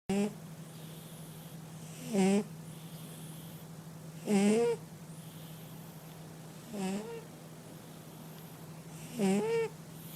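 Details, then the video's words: A sleeping male cat snoring indoors: five short, harsh, nasal rasps with stacked overtones, about every two to two and a half seconds, with quiet between breaths and a steady low electrical hum underneath. "Кот храпит"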